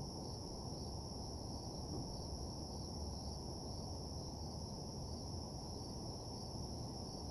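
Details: At night in a desolate parking lot, crickets keep up an even, high, pulsing trill without pause, partly masked by steady low background noise.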